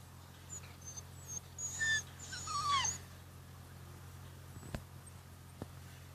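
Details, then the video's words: Rhodesian Ridgeback puppies at 53 days old during play: a few thin high whistling squeaks and a falling whine near the middle, then quiet with two sharp clicks and a constant low hum. "Rhodesian Ridgeback Puppies Day 53"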